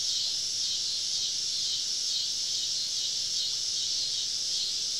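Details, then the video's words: Cicadas all around a campsite deep in southern woods on a summer evening; an even, sizzling high drone from many insects at once, constant in pitch and loudness throughout. "Southern Evening Summer Cicada Symphony"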